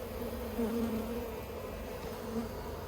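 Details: Honey bees buzzing at the Yellow Hive, an Australian beehive using plastic frames, 9 October 2021; a clear wavering drone that swells loudly around the middle and again near the end over a constant low background hum.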